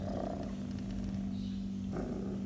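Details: An orange tabby kitten, a stray rescued and a survivor of calici virus, recorded July 2020 while being petted, purrs loudly in a steady, low, continuous rumble.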